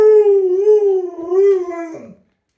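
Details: Household pet Alaskan Malamute producing a loud, drawn-out howl with a gently wavering, undulating pitch for about two seconds, ending in a quick downward slide.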